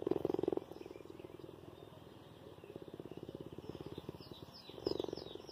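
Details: A cheetah purrs affectionately to its human carer in a low, rapid, rumbling pulse that swells louder at the start and end.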